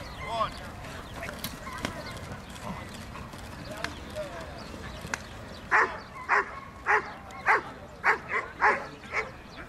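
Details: A Dobermann, King Artur di Casa Fox, at the 2012 AIAD championship show, breaks into loud, sharp, deep barks about twice a second after background chatter and shuffling, with crowd voices murmuring behind.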